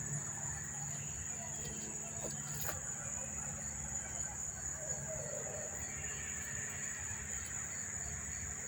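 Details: Continuous high, thin cricket trilling at Monmouth Park station, New Jersey, September 4, 2023, with the insects unseen. The even ringing chorus carries on with brief clicks and soft background noise, while a low hum sits underneath.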